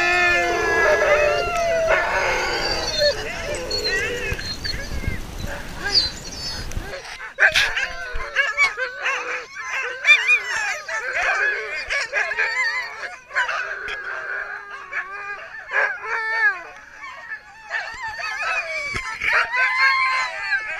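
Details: Sled dogs at the Gunflint Lodge in Grand Marais, Minnesota, dog sledding: a loud massed howling chorus for about seven seconds, then scattered excited yips, whines and short barks.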